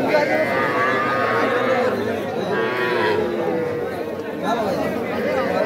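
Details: At the Aftabganj livestock market in Dinajpur, Bangladesh, on 5 September, cattle trade in small bulls and heifer calves; overlapping moos with shifting harmonics sound through dense crowd noise and speech.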